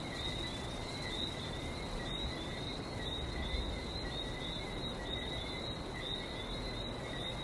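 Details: Sustained high-pitched frog chorus recorded on Barbados beside the sea, a steady ringing trill with a softer overtone and faint rapid flutter, over continuous low surf.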